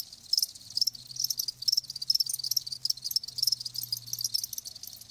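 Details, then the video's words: Chorus of live crickets recorded for natural sound: bright, high-pitched pulsed chirps repeating rapidly and overlapping, with a faint low hum beneath. "Live Crickets 60min "Natural Sound""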